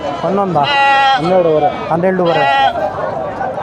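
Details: Sheep at the Kadiri sheep and goat market, held every Tuesday; three loud, quavering nasal bleats follow one another closely, the middle one wavering, over a steady hubbub of market voices.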